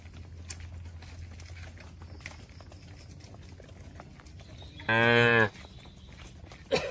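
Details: Shed-kept cattle in a peaceful rural setting; after quiet background rustle, a single short bright moo with many stacked harmonics lasts half a second, followed by a brief rising sound at the end.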